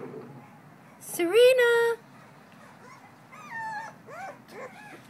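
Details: Female blue-nosed American Pit Bull Terrier puppy, two weeks old, filmed 21 December 2011: one loud, rising whine of about a second, then several short, curved whimpers, while a person speaks softly and coaxingly nearby.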